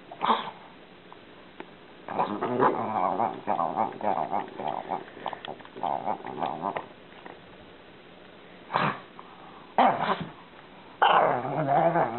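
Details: Pet pug giving a run of throaty, grumbling growl-like vocal bursts for about five seconds, then a quiet pause followed by several short, sharp noisy bursts toward the end.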